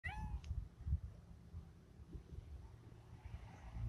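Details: A Siamese cat gives one brief, slightly falling meow, followed by low rumbling room noise.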